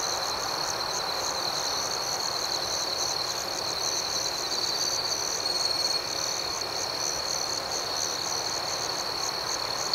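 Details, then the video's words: Steady nocturnal chirping of crickets, a thin unbroken high trill layered with faint repeated pulses, with a soft hiss of background ambience throughout. "Soothing Cricket Sounds"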